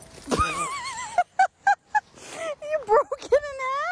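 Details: Dog in a funny-dog compilation giving a long wavering, quavering whine near the start, then a string of short clipped yelps and a final drawn-out warbling howl-like note; no other clear sounds.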